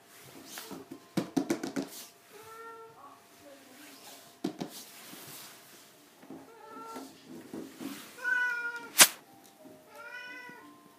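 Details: A 17-year-old domestic cat, calm for its age, gives four drawn-out harmonic meows spaced through the recording, the later ones rising then falling. Sharp knocks and clicks sound near the start, with a loud snap before the last meow.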